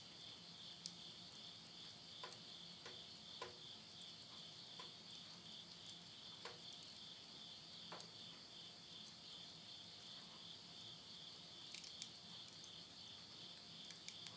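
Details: Late-summer night insects in rural Yurihama, Tottori, Japan, recorded at midnight in September 2020: a continuous bright, ringing high trill dominates, with scattered soft pops and ticks from flames in a wood stove.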